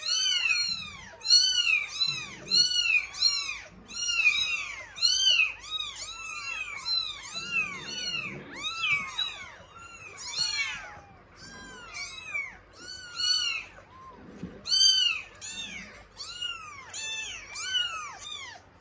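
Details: Norwegian Forest Cat kittens at a cattery and cat café, clamouring noisily for milk: a dense chorus of overlapping high, arched meows from several kittens, rising then falling, nearly continuous across the clip with brief low thumps.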